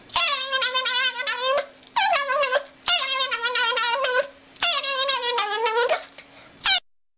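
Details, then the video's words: Dog with a reportedly creepy bark giving a series of long, trembling, vibrato-laden cries, four sustained ones about a second each plus a short final yelp. Quiet gaps fall between cries and a low hum continues throughout. "Creepy Dog Has Scary Bark"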